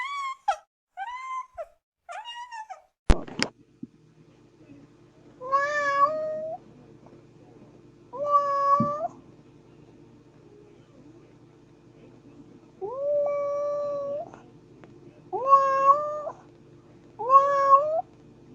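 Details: Kittens in a funny baby-cat compilation meowing repeatedly: short falling mews early on, then longer, level, harmonic-rich meows of about a second each, spaced a few seconds apart, with a sharp click near the start.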